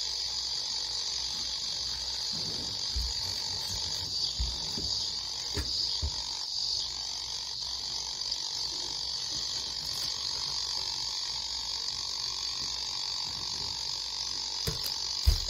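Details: Japanese cicadas in a continuous, shrill droning buzz that holds steady at a high pitch throughout, with a second fainter high band above it, a few soft clicks and low rumbles underneath.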